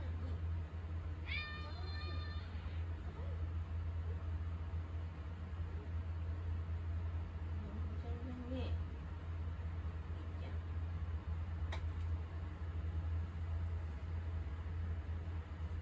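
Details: Indoor cat wanting attention while someone is in the kitchen; one long, even meow near the start, then quieter household sounds and murmured voices over a steady low hum.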